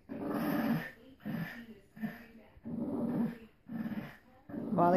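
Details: During a tug game between two Boston Terriers, Phee and Wally, a string of low, buzzy growls in short pulses, six in all, with a higher rising whine-like sound at the very end.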